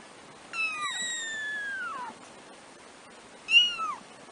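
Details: Three-week-old black kittens, first-born of a litter of four, utter a long drawn-out mew of over a second that falls gradually in pitch, followed by a shorter downslurred mew; little else audible.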